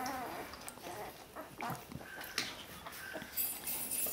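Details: One-week-old Border Collie puppies from the litter of dam Lynn and sire Kyle, giving faint, thin whimpering squeaks in short tonal bursts, rising and falling, over soft rustling and handling noise indoors.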